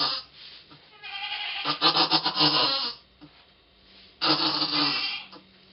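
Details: Goat named Pong giving birth to twins, filmed 2/11/11; two long, quavering, wavering bleats, the first about a second and a half long, the second following after a short quiet pause, with faint rustling in between.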